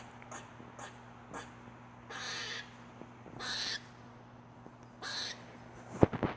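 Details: Squirrel making weird sounds: a few soft clicks, then three drawn-out grating, hissy bursts about a second apart, ending in a loud clatter, with a faint low hum throughout.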